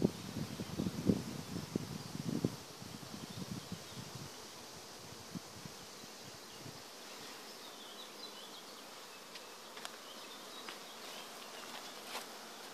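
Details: Bees in an acacia forest, loud low buzzing bursts of passing insects in the first seconds, fading to a quiet steady hum, with thin high bird chirps and faint clicks later on.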